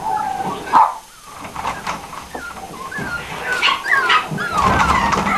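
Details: Pinscher dogs at a breeding kennel in Aquitaine, France, giving high, thin yips and whimpering whines that rise and fall in pitch, several overlapping bursts, with a brief quiet gap early on.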